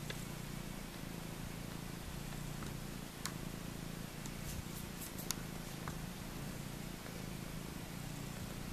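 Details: Maine Coon mix kittens on day 4, competing ever harder at the milk bar; steady low rumbling purr runs throughout, with faint brief clicks and rustles above it.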